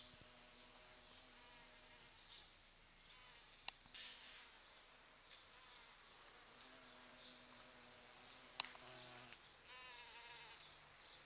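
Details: Noisy large bumblebees visit sete capotes (Campomanesia guazumifolia) blossoms in a garden, drawn by their rose-like perfume in the November flowering season. Steady buzzing hums fade in and out in bursts, broken by two sharp clicks.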